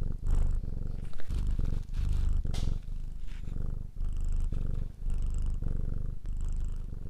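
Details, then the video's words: Loud close purr from a pet cat, a deep vibrating rumble broken into phrases by short pauses at each breath, with faint breathy hiss above. "Ralaxing Cat music for Calm Cats and Kitten [Cats Breathing]"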